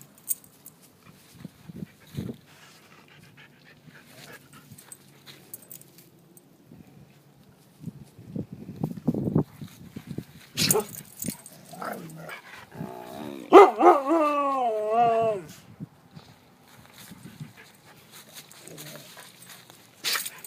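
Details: White husky making talking-like vocalizations: scattered grunts and soft whines, then a drawn-out wavering, howl-like moan with rising and falling pitch near the middle, followed by quieter huffs and panting.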